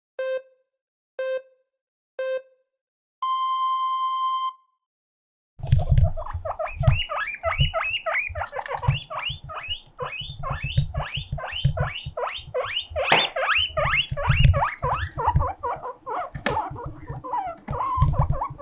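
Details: Pet guinea pig Mokohei gives a siren-like cry to show loneliness; after a few electronic beeps and a steady tone, rapid rising squealed whistles pour out in a dense series, with soft thumps and rustling below.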